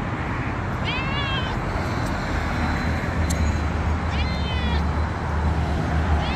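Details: Injured cat in Dubai meowing twice, each cry a bent, harmonic-rich wail, against constant heavy low-pitched traffic hum and a few faint clicks.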